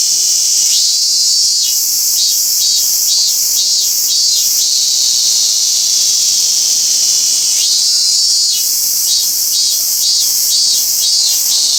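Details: Robust cicada calling in Toyano-gata Park, where the species is uncommon. Rhythmic pulsing buzz, about two beats per second, gives way to a long continuous drone. It then rises again into renewed regular pulses.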